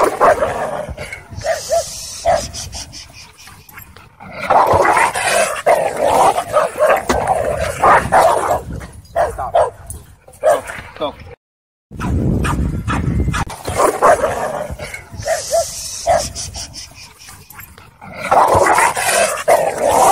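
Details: Dogfight among aggressive dogs at a dog park. Chaotic overlapping barks, snarls and growls form a fast, irregular stream, broken by a short silent cut midway. A noisy scuffle background runs throughout.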